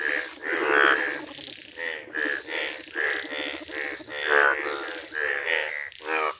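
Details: Indian bullfrog, a bright yellow frog filmed in a village, giving loud, nasal, harmonic croaks in bursts about every half second to one second, with several overlapping callers forming a steady chorus.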